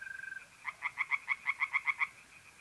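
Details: A tree frog sings close by at a pond on a mid-April night in North-East Italy: about ten loud, evenly spaced, nasal croaking pulses, roughly seven per second, following a brief mole cricket trill, with fainter frogs pulsing behind.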